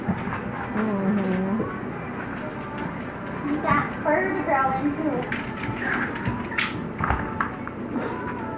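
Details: Five-week-old Yorkshire Terrier foster puppies indoors, giving thin, wavering whines that slide up and down in short bursts, several overlapping, while people talk nearby in a small room.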